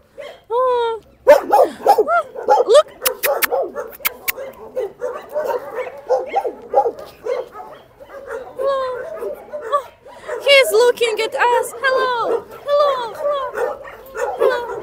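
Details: A shelter dog asking for cuddles whines and yips almost continuously, high harmonic whimpers mixed with other dogs nearby and a person talking over the noise.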